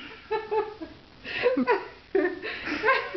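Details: People laugh and giggle in short bursts indoors in a small room, with no animal sounds.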